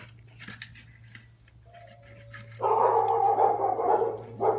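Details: Dalmatian puppy that loves food gives a short thin whine, then a loud, harmonic, drawn-out cry lasting over a second, with a brief final burst; soft clicks and a steady low hum indoors.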